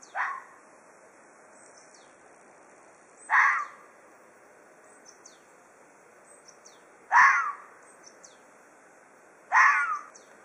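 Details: Four harsh, hoarse threat screams from an Ezo red fox, spaced about two to four seconds apart, each a short, noisy burst against a quiet background.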